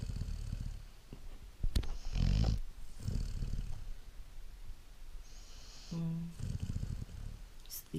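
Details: Great Dane puppy asleep and snoring: a series of deep, rough, low snores every second or so, with a person briefly speaking in the middle.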